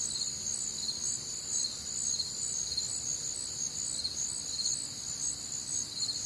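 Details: Many crickets calling together through a warm, humid summer night in the Midwest, shrill layered trills shimmering at steady volume with gentle pulsing, a faint low hum underneath and no other clear sounds.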